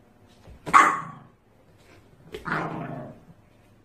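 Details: A white Pomeranian puppy, Leo, who has stolen his dad's clothes, growls at mom when she tries to take them: two short, harsh, bark-like vocalizations separated by a pause of over a second.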